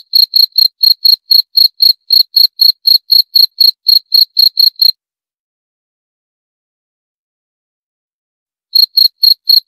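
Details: A cricket gives rapid, evenly spaced high chirps for about five seconds, falls silent for nearly four seconds, then resumes the same quick chirping; nothing else audible.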